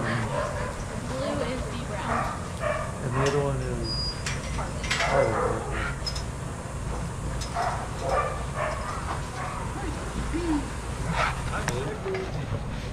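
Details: Adoptable shelter dogs playing and running together at a daycare, with several dogs giving short, rough barks and yips scattered through the scene over a constant low rumble of background noise and some voice-like sounds.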